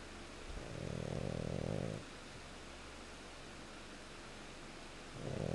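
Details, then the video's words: Pet pug dog snoring indoors: one long low rumbling snore of about a second and a half, then quiet, with the next snore starting at the end. "Goose Snoring"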